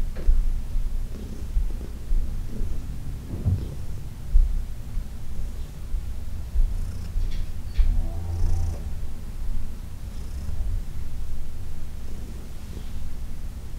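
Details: Massage session on June 17, 2021 with Heidi, a senior shelter-adopted female cat from New York City, purring steadily. Deep, even rumble with brief louder swells and light handling noises.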